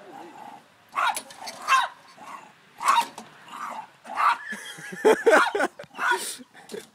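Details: Pet dog angry at a lawn mower being pull-started, giving harsh, gruff barks and growly outbursts roughly every second, mixed with rasping mechanical pulls from the starter cord.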